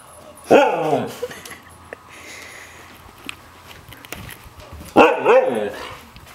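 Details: During hide and seek, a white Siberian Husky female signals that she has found her owner with two short, strong, harmonic woo-like yowls about four and a half seconds apart, with quiet indoor shuffling noises between them.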